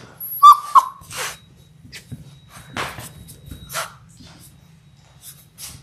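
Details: Labrador Retriever puppies, one of a litter of six in their sixth week, born January 18, 2022, filmed on a live puppy cam on February 28; a brief high squeaky whine near the start, then soft scuffling and rustling.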